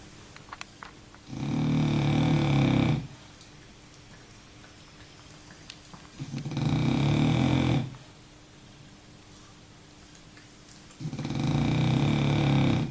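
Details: Sleeping French bulldog Baboo snoring through a nap: three deep, buzzy snores, each around one and a half seconds, spaced roughly four to five seconds apart, faint clicks and quiet breaths between.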